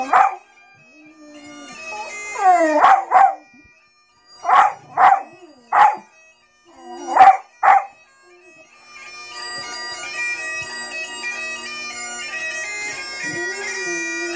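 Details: Dog howling at bagpipes: short tonal howling bursts, about eight in close succession over the first eight seconds with some gaps, before the bagpipe drone and melody take over.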